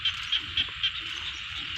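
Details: Frog in a rice field giving four short, bright, high-pitched notes at evenly spaced intervals over a continuous background chorus of other frogs.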